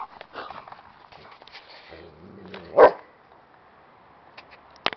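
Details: Sol, a shepherd dog at an adoption shelter, gives one sharp loud bark near the middle, set among quieter whines, rustling and faint human voices in a small room.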